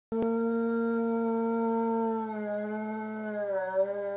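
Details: Great Dane howling, as he always did on hearing a fire truck; a long, steady, harmonic-rich tone held level for about two seconds, then wavering and dipping slightly toward the end.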